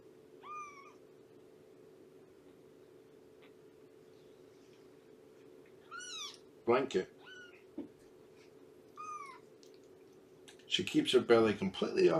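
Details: Morning visit with Shelby, an abandoned mother cat of about two years now in rescue care at Purrfect Pals, 19 September 2017: four separate arching meows spaced several seconds apart, with bursts of human speech and a steady room hum.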